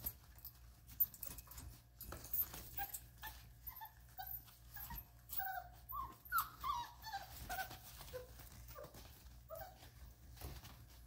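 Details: Vizsla puppies from Ruby's litter at day 33 make a steady stream of high, thin squeaks and whimpers, overlapping and irregular, with soft rustling and shuffling beneath.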